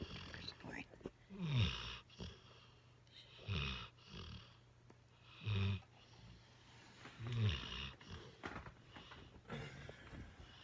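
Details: Trucker the mastiff mix lies on a lap and snores: four low, rattling snorts with wheezy breath, repeating about every two seconds, with faint background sounds between them.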